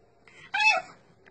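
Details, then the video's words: French Bulldog puppy from a breeder's litter, said to talk to its owners with little squeals and odd noises; one short, bright, harmonic squeal of about a third of a second, held steady then dropping slightly, in a quiet room. "I miei cuccioli di Bulldog Francesi che parlano"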